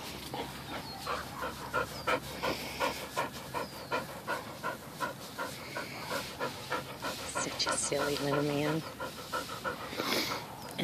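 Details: Rescued Bull Terriers, a nine-month-old puppy and an older female of about eleven, romping and rolling at home. Rhythmic, rapid panting pulses come about three times a second, while a woman talks and laughs over them.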